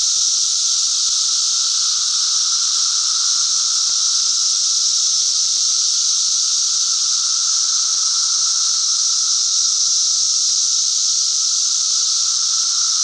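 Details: Continuous cicada song, a shrill hissing buzz that never pauses or changes in volume, with a thin steady hum underneath and nothing else audible.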